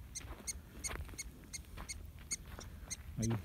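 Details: Mexican prairie dog calling near its burrow in southern Coahuila; crisp, evenly spaced chirps roughly every third of a second, ending with a short burst of human speech.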